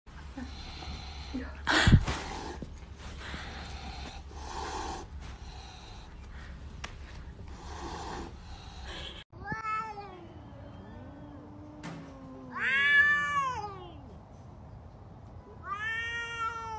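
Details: Domestic cats arguing with each other: after a stretch of faint rustling, drawn-out wavering meows and moaning yowls rise and fall, some bending upward then sliding down, with a louder strained cry near the end.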